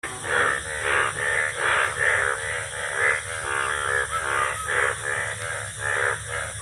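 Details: Indian bullfrogs calling in the rainy season: a dense chorus of harsh, nasal, caw-like croaks, each about half a second long, pulsing roughly once a second and overlapping from several callers.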